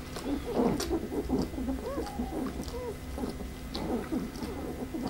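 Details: Pembroke Welsh Corgi litter A from Preberry, out of Image Čičiko and Danny Toivu My Delight: several overlapping high whimpers and short squeaks, some rising then falling, with soft rustling and a low indoor hum.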